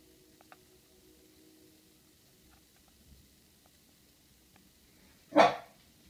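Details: Corgi named Murray confronting its reflection in a mirror indoors; near-silence broken by a single sharp, loud bark late on, preceded by faint ticking and rustles.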